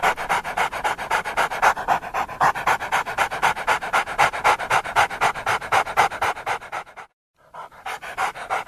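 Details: Rapid, regular panting of a dog, nearly four hoarse breathy puffs per second, steady for about seven seconds, then a short silence before the panting resumes.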